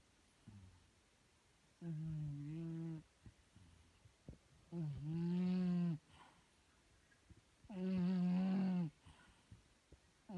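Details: Paris, a pet cat, snoring while asleep: three loud, low, tonal snores, each about a second long and rich in harmonics, come roughly every three seconds, with faint soft breaths in the quiet gaps.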